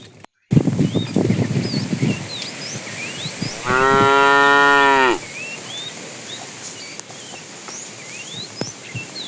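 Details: A fat tame cow in a herd being driven in the afternoon calls to the female. It gives one long, steady, harmonic moo of about a second and a half after a thump and rustling. Small birds chirp throughout.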